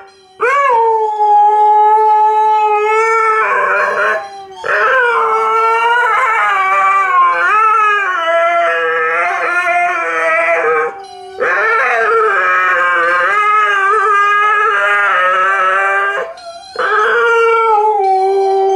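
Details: Malamute and Husky pair, Tikaani and Wolf, doing Dear Tonka with loud sustained duet howls, wavering and overlapping, in four long phrases broken by short pauses.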